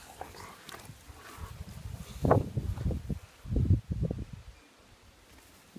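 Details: German Shepherd, three years old, outdoors in a garden on his birthday; a few short, rough, low barks come in a cluster around the middle, with quiet ground noise before and after.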